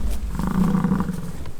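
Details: American bison bulls fighting during the rutting season on a ranch by the Peace River, Fort St. John, British Columbia, Canada; a low, steady rumbling bellow holds for over a second amid a growling undertone.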